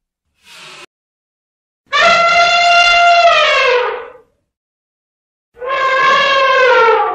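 An elephant gives two loud, brassy trumpet blasts, each about two seconds long and sagging in pitch.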